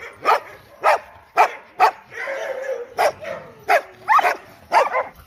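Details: Loud dog barking, sharp barks spaced roughly every half second, with a brief drawn-out whine in the middle of the series.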